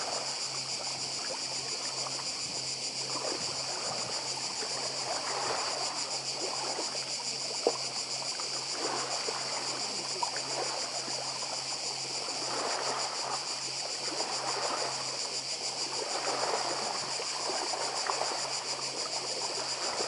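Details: Unbroken high buzzing chorus of cicadas, pulsing quickly and evenly, on Badija Island, Croatia, 2024, set against rolling sea surf, splashing water and a steady low hum.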